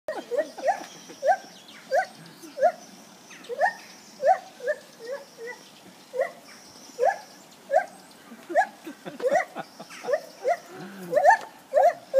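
A lar gibbon gives a long series of short, rising whoops, repeated about twice a second.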